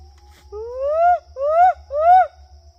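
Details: A siamang calls from the right in a misty Sumatran tropical forest near a small stream: three loud, rising whooping notes about half a second apart, sweeping upward with rich overtones and echoing through the forest, over a faint low hum.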